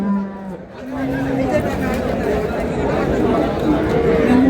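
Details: Cow with calf at Ambari haat market in Dinajpur, Bangladesh, March 6, 2026. Two short, flat moos sound at the start, then busy market talk takes over.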